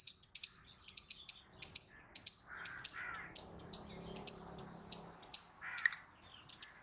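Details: Squirrel producing rapid, sharp high-pitched chips, sometimes in quick pairs, at an irregular pace of about two per second, over faint lower grating sounds.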